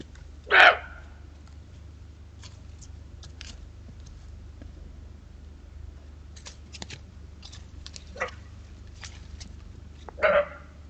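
A barking deer gives two loud, sharp single barks about ten seconds apart over a quiet background.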